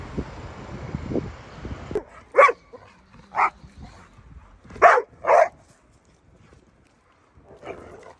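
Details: Pit Bull dogs bark in a slow series of five gruff barks about a second apart, with a softer bark near the end, after a brief murmur of low background noise at the start.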